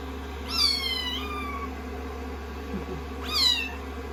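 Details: Two shrill kitten meows, each climbing sharply then tapering downward, from rescued kittens snuggling on a lap during drying after a shampoo on day 16; a continuous hairdryer hum fills the background.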